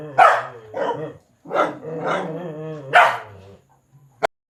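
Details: Domestic dog barking at a large black stray cat seeking to mate: five loud, harsh, harmonic barks spaced roughly half a second to a second apart, followed by quiet and one sharp click near the end.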